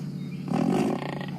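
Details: An African buffalo, one of four surrounding a leopard stuck in a thicket in a tiny tree, gives a deep, rough grunt of displeasure at the leopard.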